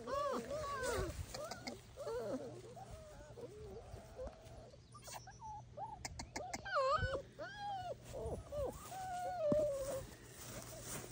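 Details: Bernese Mountain Dog puppies giving a steady run of high, wavering whines and squeaky yelps, some rising then falling, overlapping almost continuously, with a low background hum and a brief laugh.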